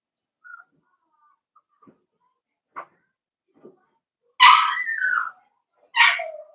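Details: Blenheim Cavalier King Charles Spaniel puppies, one of a litter of five born at New Year's and kept in a home puppy pen. Faint scattered squeaks give way to a loud whimpering yelp that slides downward, then one shorter yelp follows.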